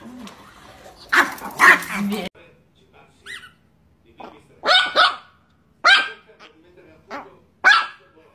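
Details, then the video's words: Angry Chihuahua Niki fires off a handful of short, high, sharp barks spaced a second or so apart, with people talking at the start and quiet pauses between. "The most Angry Chihuahua in the world"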